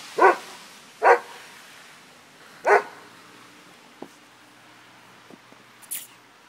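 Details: Rudy the Doberman and Tally the Miniature Pinscher at play in the snow, three loud, sharp barks in the first three seconds, then only faint clicks and a soft squeak over a low steady background hiss.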